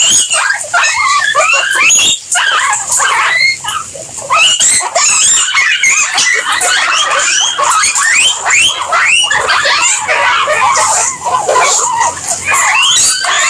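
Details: Several guinea pigs calling together, a dense, unbroken chorus of high, rising squeaks and chirps that overlap constantly, with short louder bursts and brief dips; no other clear sounds.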